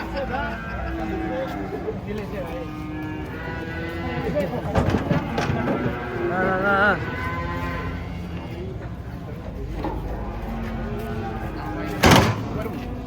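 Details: During the unloading of giant cattle from a truck, repeated lowing moos of varying pitch overlap with busy human chatter, shouts and a sharp bang near the end.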